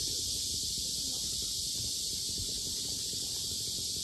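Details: Cicadas at the lotus park of Sinjeongho Lake in Asan, very loud: a dense, unbroken high hissing buzz holds steady throughout, with faint low rumble beneath.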